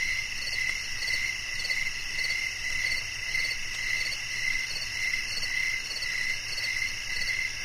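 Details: Crickets chirping in a steady night chorus, pulsed trills repeating almost twice a second over a constant high insect hum, with other insects layered at higher pitch.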